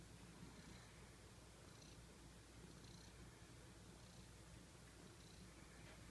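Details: A cute pet cat purring or snoring softly: a low, continuous rumble with faint airy accents roughly every second, under a steady background hiss.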